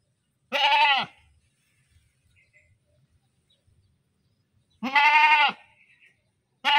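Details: Loud, quavering goat screams, two full bleats about four seconds apart and the onset of a third at the very end, over near silence with small low taps.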